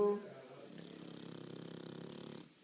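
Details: Pet pug dog asleep indoors, snoring steadily: a rattly, buzzing breath drawn out for about two seconds with fine rapid pulsing throughout, starting after a brief louder onset and fading quickly at the end.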